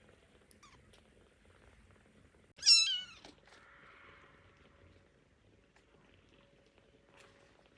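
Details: Hungry baby kittens just waking up and wanting their milk: a single short, high, wavering mew that slides downward, followed by a brief soft hiss of breath, then near silence in a quiet indoor space.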